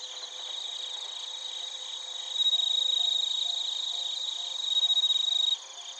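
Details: Crickets, including bell crickets, in Narita, Chiba, Japan, recorded with a TASCAM Portacapture X8: a nearby clear ringing trill rises loudly over a softer chorus, rapidly pulsed, holding about three seconds, then cutting off.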